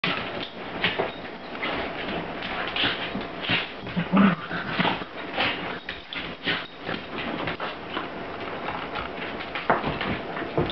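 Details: Two corgis, a smaller female picking on a larger male, play in a small enclosed room: quick, irregular bursts of sharp yaps, low growls and the odd whimper, roughly every second or less, uneven and overlapping.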